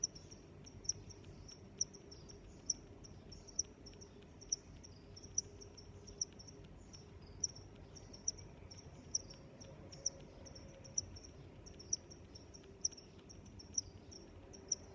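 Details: Chorus of crickets in nature, a dense high-pitched chirping that never pauses, marked by about seventeen regular sharp ticks across the stretch, over quiet low rumble.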